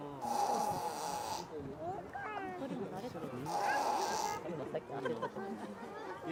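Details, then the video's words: Hippopotamus with eyes open, seemingly awake, making a snore-like sound through its nose: two loud, breathy, hissing bursts about three seconds apart, each with a steady whistling tone inside, while Japanese speech carries on around them. "カバのいびき？ Hippo Snoring?"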